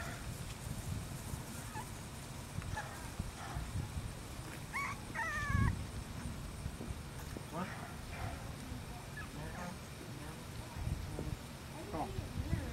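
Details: English Bulldog puppies in a backyard: short, high, wavering whines and yips clustered near the middle of the clip, with a low rumbling background throughout.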